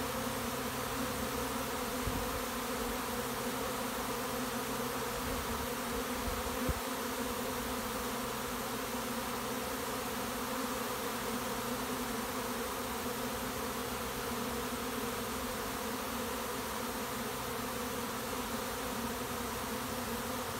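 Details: Arriving swarm of honey bees at a bait hive next to a house, a thick unbroken humming drone, with a couple of brief soft knocks near the start.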